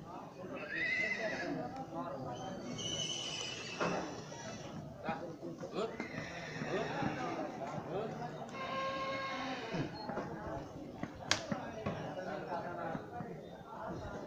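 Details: Racing horse, about four feet tall and 53 inches long, kept on a farm, gives a few shrill, descending whinnies amid near-constant human talking and background commotion.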